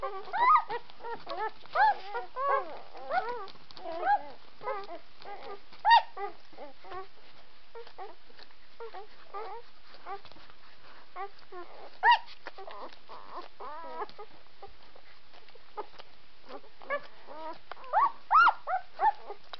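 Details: White Swiss Shepherd puppies whimpering and squealing in a busy overlapping chatter, with wavering tonal whines and scattered sharper yips throughout.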